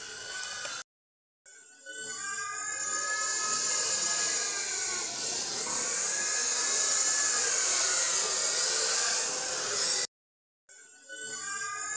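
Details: A steady bright hiss with faint tonal bands, like music or engine noise, broken by two short silences. No animal voice can be picked out.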